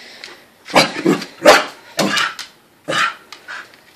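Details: Corgis barking excitedly at dinner time indoors, a routine said to happen three times a day; five sharp barks in four seconds, spaced irregularly, in a small room.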